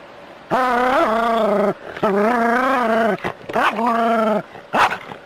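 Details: Jack Russell Terrier playing with water spraying from a hose, giving long drawn-out whining howls, three sustained steady-pitched notes of about a second each with short breaks, ending in a brief rising yelp.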